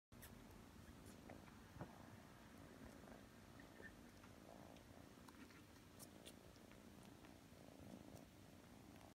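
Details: Domestic cat purring while a foster kitten kneads and massages its head indoors; soft, continuous low rumbling purr throughout, quiet and steady, with a few faint clicks and rustles.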